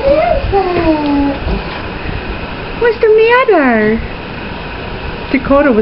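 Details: Pet Chihuahua named Pablo howling in reaction to police sirens indoors: several drawn-out, wavering tones that slide downward, one rising then falling sharply, with a person speaking to him between howls.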